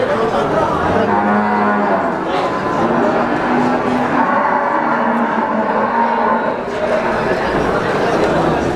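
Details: Mooing Brahman breeding cattle at a busy cattle market in Sumberlawang, Sragen, 2018; several drawn-out low moos overlap through the clip against continuous crowd noise and talk.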